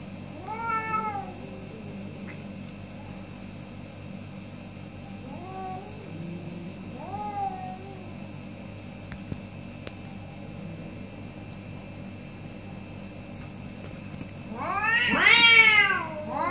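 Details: Morning exchange between two orange cats: short rising-falling meows spaced a few seconds apart, then a long stretch of quiet hum, before a loud, strained, drawn-out wail closes the argument.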